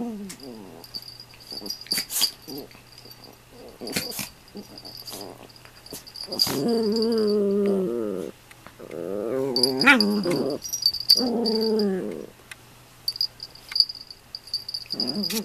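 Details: Two Toy Poodles, Toffee and her younger companion Komugi, playing together indoors: drawn-out, rumbling harmonic growls of one to two seconds come in several bouts, with scattered sharp clicks and taps between them.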